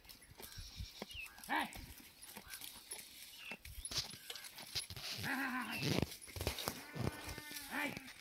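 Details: Goat being milked out in a farm field gives several short, nasal, harmonic bleats spaced a few seconds apart, mixed with speech, clatter and rustling close by.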